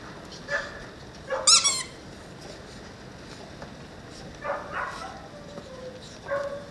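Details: Calia, a 16-week-old female Cane Corso puppy, gives short high squeaky whimpers, one sharp rising-and-falling burst near the middle and softer whines before and after, over quiet background hiss.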